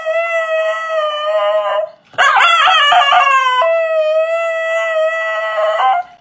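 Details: A Siberian Husky in Voronezh, Russia, recorded on April 4, 2021, shows off its voice with a shrill, sustained howl-like "roar" that wavers and breaks briefly before steadying again.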